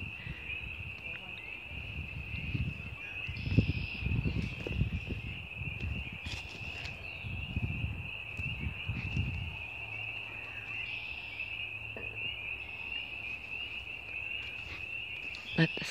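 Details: A continuous high trill of many frogs singing together in woods in early spring, April 2017, holds steady at one pitch, with a man speaking over the first half and faint rustling behind. Finding: frog.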